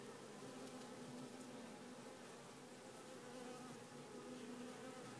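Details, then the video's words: Queenless honey bee colony buzzing inside a small nucleus hive; dense continuous drone with stacked tonal layers, a wavering mid-pitched hum rising and fading slightly, no other sounds. "Ruchette bourdonneuse"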